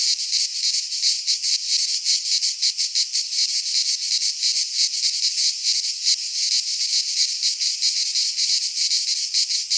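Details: Cicadas of the Greek fauna singing in a midsummer pine forest: a piercing, buzzy wall of sound made of fast repeated pulses, slightly wavering in strength, with no other noises.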